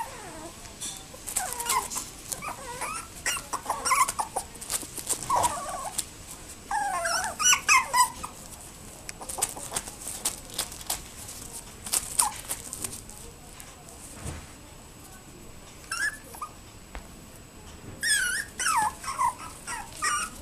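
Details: A toy poodle puppy 60 days old gives high, thin whimpers and squeaks in short bursts.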